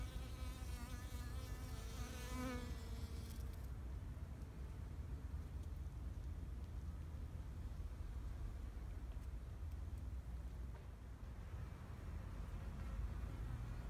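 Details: Bees buzz in a Japanese flower garden in spring 2021, a wavering wing hum that swells and fades within the first few seconds.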